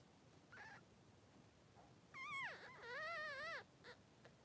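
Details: Newborn Blenheim Cavalier King Charles Spaniel puppies, three days old, two boys in a puppy pen with their mother Pom-Pom. A faint short whine, then loud wavering, quavering cries that dip and rise, ending with a brief squeak.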